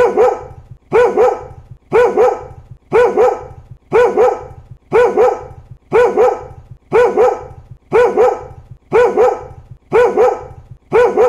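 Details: Pet dog giving a steady run of double barks, each pair sharp and evenly spaced about one second apart, with a low hum beneath.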